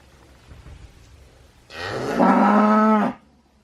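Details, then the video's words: A cow gives a single drawn-out moo lasting about a second and a half, a low, steady, richly harmonic cry that swells quickly and cuts off sharply, preceded by faint background rumble. "Cow Sound Effect, Sound Of Cow Crying, Crying animal sounds, 소 울음소리"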